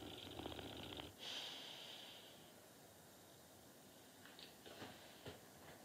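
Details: Norton, a sleeping dog, snores: a rough, rattling snore fills the first second, then a breathy hissing intake of air, followed by quieter faint snuffles and soft breathing.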